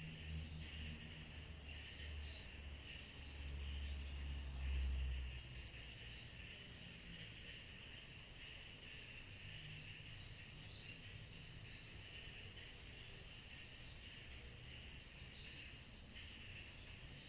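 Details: Cicadas singing in chorus on a summer night: a steady, shrill, high-pitched whine runs throughout over a softer buzzy band beneath, pulsing about four times a second, with a faint low rumble underneath.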